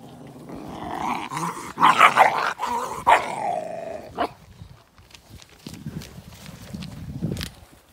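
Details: Presa Canario recorded in April 2020, a loud rough growling snarl rising into barks over the first four seconds, then quieter low rumbling and scattered sounds ending in one sharper bark.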